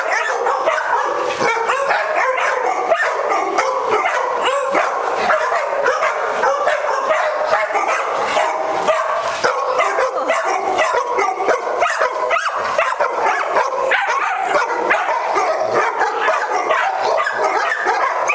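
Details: Several dogs with the zoomies at Doggie Oasis Day Care in Las Vegas, Nevada, on October 5, 2009; dense, continuous barking and yipping from many dogs overlaps throughout with no pauses, a busy indoor chorus.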